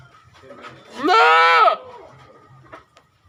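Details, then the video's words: A goat bleats once, a loud, quavering, nasal cry just under a second long, set against a quiet, low background hum. "Suara kambing"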